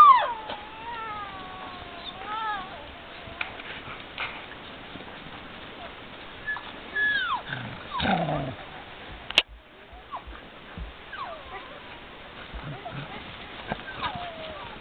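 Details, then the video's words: Sled dogs having fun let out long, wavering whines and howl-like tones that slide up and down, overlapping in places, followed by a sharp click and more scattered short yelps over a constant hiss. "sled dogs having fun"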